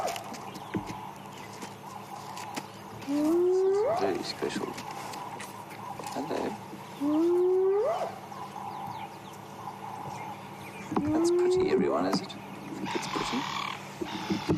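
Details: Spotted hyenas calling to each other at dawn in Sabi Sand, April 2016, before lying up for the day: three rising whoops spaced about four seconds apart, with a man talking quietly and birds in the background.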